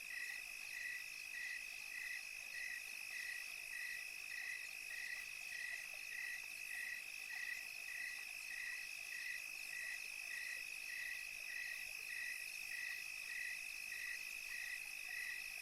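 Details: A cricket chirps steadily on a tranquil European summer night, short bright pulses repeating almost twice a second over a dense insect hum.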